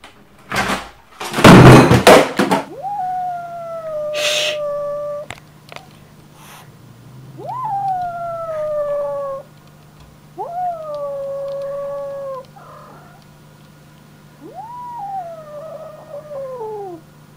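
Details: Frightened domestic cat yowling: after loud thumps and clatter, four drawn-out moaning wails, each rising sharply then holding and sagging in pitch for one to two seconds, spaced a few seconds apart over a faint steady hum.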